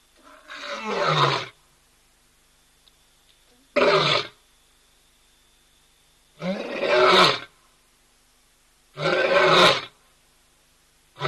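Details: Wild male lion vocalising at a hide camera at ol Donyo, Kenya: deep, hoarse, throaty roaring bursts, each about a second long, repeated roughly every two and a half seconds, with near silence between them.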